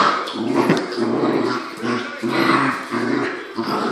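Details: Two Corgis playing nicely, a five-year-old and a three-month-old puppy, trading rough, buzzy growls in short bursts of about half a second, broken by brief pauses, loud and close indoors.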